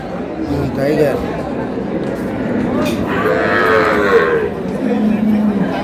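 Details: Cows with calves at Ambari market (haat) in Dinajpur, recorded March 6, 2026: a couple of short, low moos rise out of steady crowd chatter and market noise.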